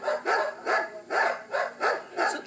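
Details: Pet dog in an Australian street before training, whose neighbours counted 250 to 300 barks in ten minutes. Six evenly spaced, full barks about every 0.4 seconds form a steady, relentless rhythm.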